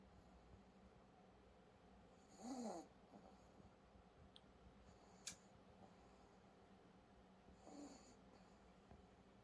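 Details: Sleeping dog Sarang-i giving two soft, throaty snores about five seconds apart, the first louder and rasping, the second fainter, with a sharp click between them in a quiet room.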